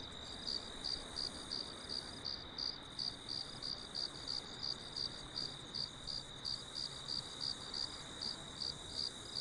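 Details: Crickets chirping, offered as relaxing sound for sleep or meditation; a steady train of short, high, pulsed chirps about three per second over a soft, even background hiss.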